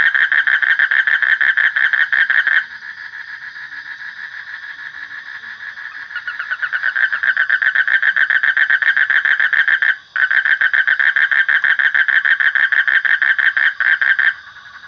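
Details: Frog calling in a steady, rapid pulsed trill at a mid pitch. The trill is nearly continuous, with a quieter, thinner stretch early on and a brief break near ten seconds. No other clear sounds are heard.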